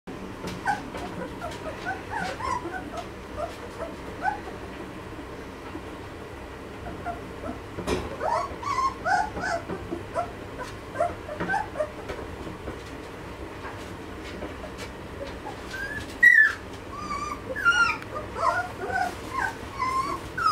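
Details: Malinois puppies of the B-litter, two and a half weeks old, from Amyra x Fenris; scattered high whimpers and squeaks from several pups over clicks and rustling, with a brief human voice.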